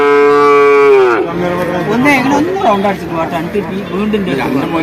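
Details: Young bull calf at Vaniyamkulam market: a steady one-second moo opens the recording, then it gives way to people talking over the general market bustle.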